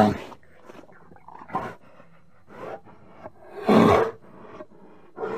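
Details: Bear giving low grunts and huffs over a steady background hiss, with one loud, rasping roar in the middle and a shorter growl at the end.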